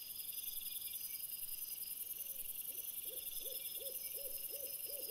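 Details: A red fox calls after sunset, recorded on 17 April 2021 by a camera trap: faint arched barks build into a steady series of about eight, three each second, in the second half, under persistent high electronic whining.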